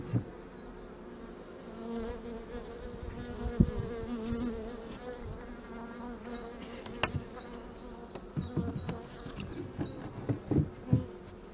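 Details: Calm, not very angry bees at an open hive during queen cell work: a steady low droning hum with an overtone above it, broken by clicks and scrapes of frames being handled, and a beekeeper speaking nearby.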